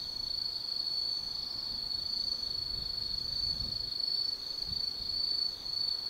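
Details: At Tsukimi no Mori, Gifu Prefecture, Japan, autumn night forest insects keep up an unbroken high, thin ringing trill at even volume, with faint low-pitched rumbles of distant background noise underneath.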